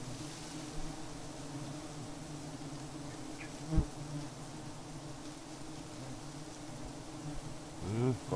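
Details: Steady low drone of giant honey bees, with a couple of dull knocks and a rustling scrape near the end.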